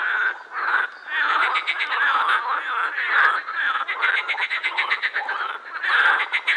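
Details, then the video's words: Chorus of edible frogs at the Krebsenwasser, a pond in the Prater, Vienna: many males calling at once, rapid rattling pulses and harsh quacking croaks layered into a steady din. "Teichfroschkonzert am Krebsenwasser"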